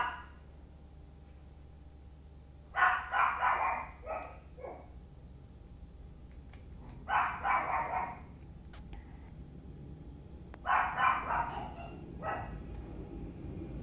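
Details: Sunshine the Chihuahua plays with Mom and Dad, Muffin and Candy, letting out three bursts of quick, bright yapping barks a few seconds apart, each a tight run of yips, over a low steady hum.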